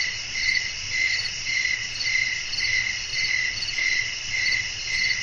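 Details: Crickets chirping in a relaxing nighttime nature ambience with blowing wind. Bright, pulsing chirps repeat about twice a second over a steady high-pitched trill, with a soft low rumble beneath.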